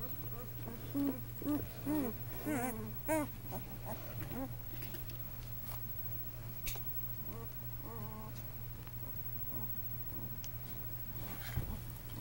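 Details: Newborn Great Dane boys on day one, each 2 lbs at birth; a burst of squeaks and curved whines fills the first four seconds, then only faint occasional cries over a low steady hum.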